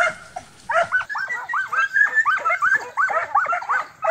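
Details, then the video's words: Transylvanian Hound pack, young dogs training for wild boar hunting in summer, yelping excitedly in quick overlapping bursts, high bending barks tumbling one after another with hardly a pause. "Κυνήγι Αγριόχοιρου: Transylvanian Hound Dogs"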